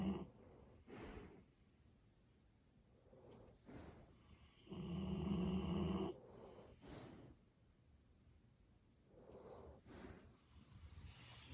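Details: Asleep indoors, the Golden Retriever Ibuki gives a snore of over a second amid soft, airy breaths, while quieter breathing sounds recur between the snores, filmed on a smartphone.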